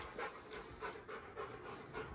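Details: Rottweiler on a homestead ranch meeting a six-pound newborn baby, panting in soft breathy bursts repeated about twice a second, airy and even, with quiet room noise beneath.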